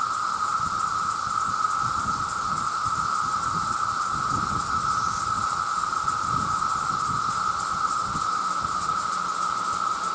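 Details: Massed male cicadas crying out to attract mates, a loud continuous droning whine at a single steady pitch, overlaid by a fainter, higher shimmering buzz pulsing rapidly and evenly for ten seconds.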